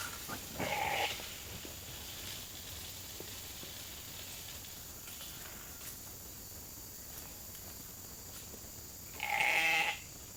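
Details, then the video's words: Hungry sheep flock being called into the holding pen for the evening grain feed; two loud harmonic bleats, one near the start and one near the end, with quiet rustling between. "Calling the Flock in for the night"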